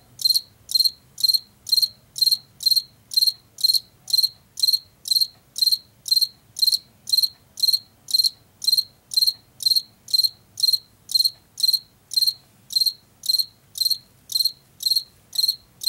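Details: Washington field cricket, a late summer and fall insect of fields and forest edges, chirping steadily: short high trilled chirps of several pulses, about two per second, continuing evenly with no other clear sounds.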